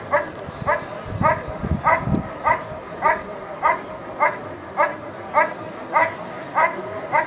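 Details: Dog at a 2014 NIAK protection trial giving a long, even run of rhythmic barks, roughly one every 0.6 seconds, with some low rumbling noise early on.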